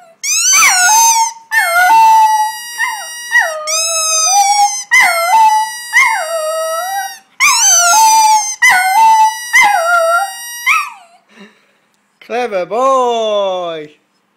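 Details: Male Border Terrier singing with his owner: a rapid string of wavering howls and yips, each note bending up and down and held briefly, followed by a final drawn-out rising and falling howl.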